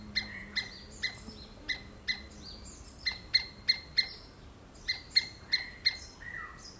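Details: Harsh, clipped squirrel screams repeat at uneven intervals, with short pauses between bursts and faint sliding whistles from other callers behind them.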